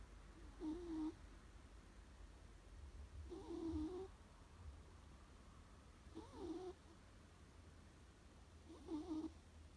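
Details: Pet cat snoring: four evenly spaced, slightly whistling, nasal snores about every two and a half seconds, each a short rising-falling tone with a rough edge, quiet room hum between them.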